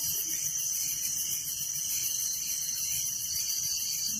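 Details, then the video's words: Crickets at night in a village, a dense, continuous high-pitched chirping chorus with fine rapid pulsing, steady in loudness throughout, with no other clear sounds. "Relaxing Night Crickets Sound in Village"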